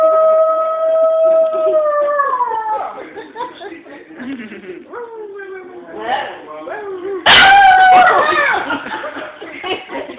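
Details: Puppy howling indoors: long steady tonal howls that slide downward, then shorter wavering yips and whines, and a loud burst near the end, with a person's exclamations.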